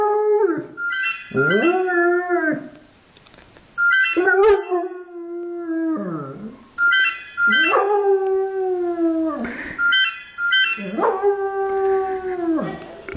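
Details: An 8-month-old German Shepherd howls in drawn-out notes, each sliding up, holding, then sagging down, every few seconds, "singing" along to a thin, stepped electronic tune from a phone.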